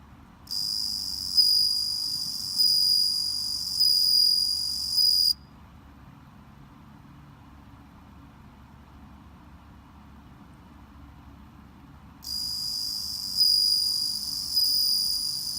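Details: Home-raised bell crickets that have just started calling: bright, high ringing chirps in bursts that pulse at a regular pace, falling silent for about seven seconds midway before resuming, over a faint low hum.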